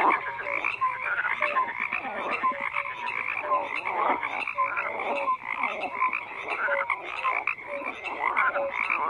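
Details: Frogs croaking en masse, a steady rasping drone dotted with regularly repeated short, high, clear notes, as if several callers answer one another.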